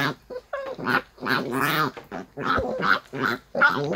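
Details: Maltese named Bom grumbling in annoyance while being brushed: a string of short, wavering, moaning vocal bursts with quivering pitch, several per second, separated by brief pauses.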